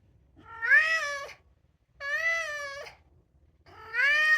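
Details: Indoors, a two-year-old polydactyl Maine Coon tomcat meows insistently to be let out, three drawn, harmonic calls in quick succession, the first sliding upward, the last starting just before the end.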